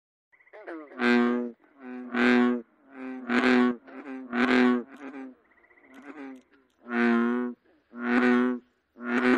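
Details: A North American bullfrog (Lithobates catesbeianus) gives deep, resonant, droning croaks, repeated roughly once a second.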